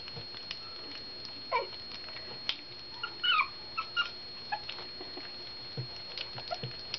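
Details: Newborn rescue puppies, two of a litter of four born to Bella after a puppy mill bust, at their first meal; brief thin squeals and whimpers, one wavering cry mid-clip, amid clicks, rustling and a constant high hum.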